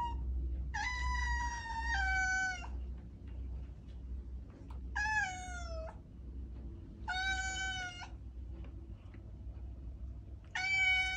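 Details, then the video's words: Domestic cat giving four clear, drawn-out meows spaced about two seconds apart, each one bright and slightly falling at the end, over a low rumbling background hum. "Cat Sounds"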